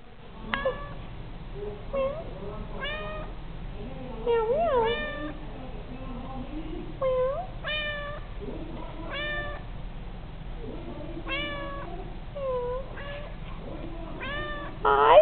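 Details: Abby, a pet cat indoors, learning to repeat "I love you" after a person: a string of short bright meows, some rising and falling, answering between spoken human phrases.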